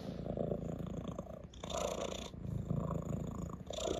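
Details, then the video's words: Male orange tabby domestic cat settled on a lap indoors, rubbing his head against a hand while purring; a steady, low rumbling purr runs throughout, with soft rustling and handling noises over it. "the cat rubs his head against my hand and purrs"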